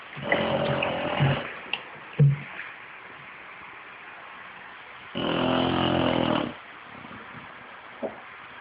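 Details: A 5-year-old male English bulldog snores in long, rasping, throaty breaths with quiet pauses between.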